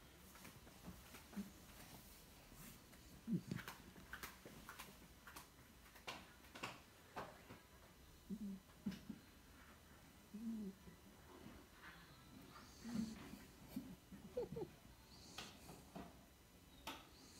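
A sleeping pit bull snores softly in low, rumbling breaths, with pauses between them.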